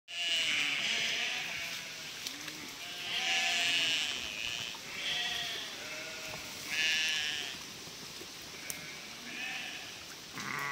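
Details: Flock of 1000 sheep driven by a border collie to cross a narrow stretch of river; overlapping wavering bleats from many animals rise in loud bursts every few seconds over a steady rushing hiss.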